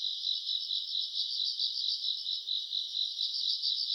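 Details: High, ringing trill of grass insects on an August summer night, rising and falling in quick even pulses about three times a second, with a thin faint shimmer above it.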